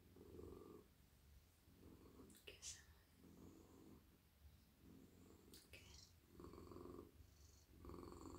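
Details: Friendly, soft male domestic cat purring in a lap at night while stroked on head, neck and body; low rumbling purr swelling and fading in cycles about every one and a half seconds, with brief rustling clicks from handling.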